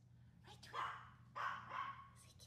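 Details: Dolce, a female Maltese, barks on a hot summer day: two short, sharp yapping barks about half a second apart, each falling slightly at the end, with low steady room hum underneath.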